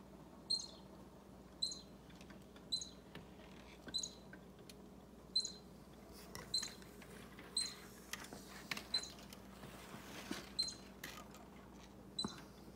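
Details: Baby squirrel squeaking close to an orange cat named Bushy: short high squeaks repeated about once a second, each a brief sharp note with a buzzy top, with faint rustling and patter between them.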